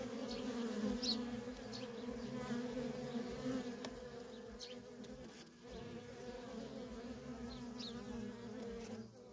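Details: Constant traffic of worker honey bees at a feral colony makes a rich, even droning hum, dipping briefly about halfway before resuming at full strength.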